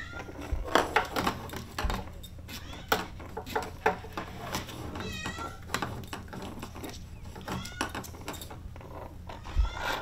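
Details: Female brown Maine Coon kitten aged 36 days at a Tokyo cattery makes a few faint, high, wavering meows amid clattering, rustling indoor sounds and handling noise.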